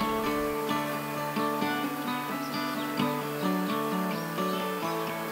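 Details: Plucked acoustic guitar plays a steady melody, with no animal sound.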